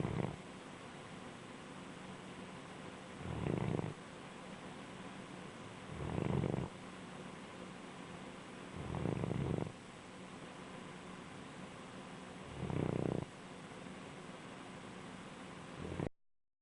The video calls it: Gus the Snoring Bloodhound